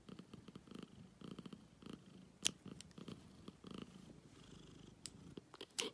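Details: A black cat purrs in even breathing cycles, soft rumbling bursts repeating roughly every half second, with a few sharp clicks and taps.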